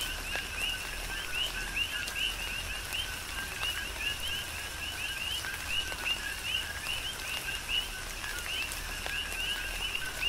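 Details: Tropical rain on Hawaii's Big Island with a continuous chorus of coqui frogs: brisk two-syllable chirps, the second note higher and rising, many frogs overlapping in a steady pulse beneath hissing rainfall and dripping water.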